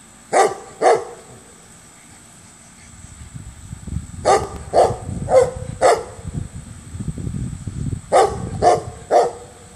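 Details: Dog barking upside down, tail wagging throughout: short sharp barks in clusters of two, four and three, spaced roughly half a second apart, with low rustling and thumping from body movement between them.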